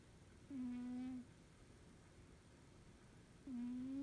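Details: Norwegian Forest Cat asleep and snoring contentedly. Two clear, flat, low-pitched whistling breaths, each about three-quarters of a second long and about three seconds apart, over a faint indoor hum.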